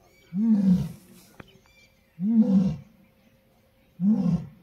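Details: Asiatic lion in the Gir jungle, seen on safari, giving three heavy grunting roars spaced roughly every two seconds, each low, swelling and fading quickly, with a sharp click between the first two and a faint hum behind.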